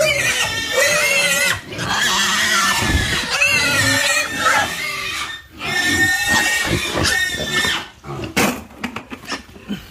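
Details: Pigs on a pig farm, squealing in overlapping, shrill, harmonic bursts that rise and fall, several in quick succession with brief pauses, followed by choppier, broken squeals and snorts near the end.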